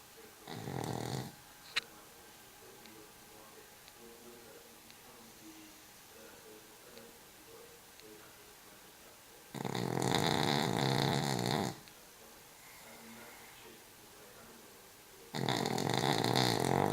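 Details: Cavalier King Charles Spaniel asleep in a car on the drive home, snoring. Three loud, raspy, broadband snores, each lasting one to two seconds and spaced several seconds apart. A low, steady hum runs underneath throughout.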